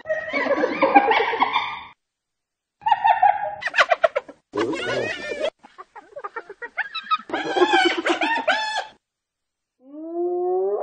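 Short bouts of a hyena's high-pitched, cackling giggle break off into silences, each a quick run of chattering notes. A final rising, drawn-out whoop closes the sequence.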